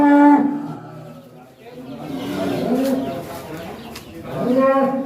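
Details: Hefty cattle of one ton and up, led out of its pen: a short steady low moo opens, a quieter wavering stretch follows amid background voices, and another moo rises at the end.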